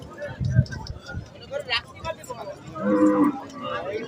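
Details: Cattle of a new crossbreed called Bengali Haryana at the Khorniya cattle market, giving a short low moo near the end amid market bustle and people talking nearby.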